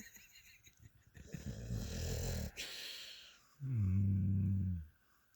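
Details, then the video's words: Sleeping pet dog named Mia snoring: a breathy, noisy inhale, then a loud, steady, low droning snore lasting over a second before fading to quiet. "Mia the amazing snoring dog."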